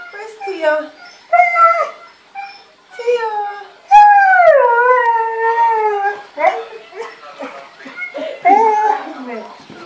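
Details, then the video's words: Lovesick male Siberian Husky missing his mate, howling indoors while a woman asks where she is; short yelping cries then one long falling howl near the middle, followed by broken whiny calls mixed with speech. "Husky HOWL's watchin himself Mating"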